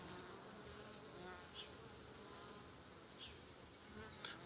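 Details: Low, continuous buzzing from honey bees gathered at a hive entrance, shuffling forward and backward rather than fanning; an even, airy drone with occasional faint passing whines of single bees.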